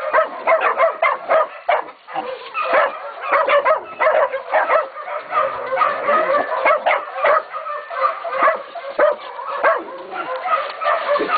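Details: Catahoula and Black Mouth Cur pups, aged 16, 11 and 14 weeks, baying a pig at Golden Creek Catahoulas Kennel: several young voices overlap in rapid, high, sharp yips and barks, almost unbroken, with short rhythmic bursts throughout.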